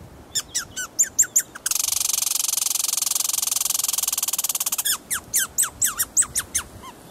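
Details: Meemor, a male American red squirrel, warns the neighbourhood that the area is his with the territorial rattle known as the rattlesnake: sharp descending chips, a dense buzzing rattle held about three seconds, then more quick chips.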